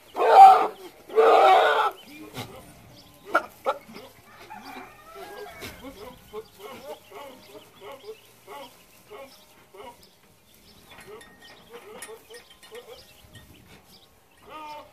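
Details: Boer goats, newly acquired breeding bucks, at San Jerónimo Zoyatitlanapan: two loud, harsh, wavering bleats in quick succession open the recording, followed by soft scattered chirps and faint background voices.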